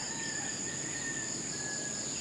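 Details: Crickets (kuliglig) at a Philippine family campsite on a rainy camping trip, where only nature sounds are heard and no traffic; a steady, unbroken high shrill trill holds throughout, with a fainter lower whistled tone beneath.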